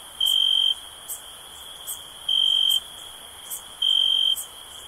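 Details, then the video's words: Crickets in a relaxation recording for sleep: a steady high-pitched trill underlies louder, pure half-second chirps repeating about every 1.8 seconds, with faint ticking pulses higher up. "Cricket Sounds"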